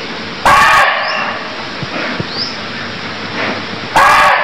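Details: Deer in Cambodia giving two short, harsh, loud cries about three and a half seconds apart. Faint rising chirps sound in the background over a steady hiss.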